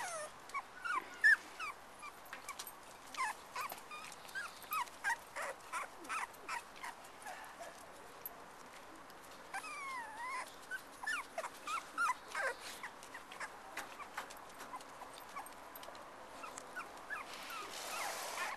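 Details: A litter of black and black-and-white Cocker Spaniel puppies playing with each other and their mother give rapid, high squeaks and yips, several voices overlapping; one chocolate puppy is noted as especially squeaky and screams when dogs bark.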